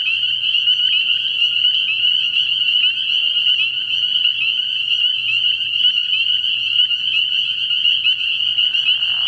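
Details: Spring peepers calling together at a frog pond at night early in the year: a dense, unbroken chorus of high, shrill peeps forming a steady ringing wall of sound, with no pauses.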